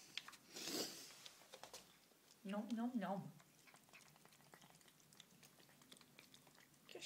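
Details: Greedy Siamese and Havana cats at feeding time indoors, one wavering meow lasting under a second amid chewing noises and a person's voice as a food pouch is served.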